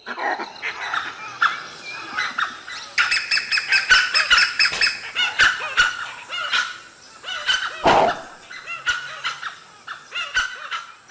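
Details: Langurs in an Indian forest raise harsh, barking alarm calls in quick, overlapping bursts as a pack of dholes trees a leopard nearby.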